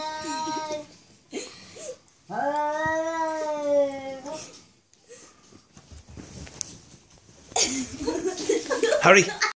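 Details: Domestic cat indoors calling to another cat outside, giving wavering drawn-out meows, followed by people talking and rustling household noise.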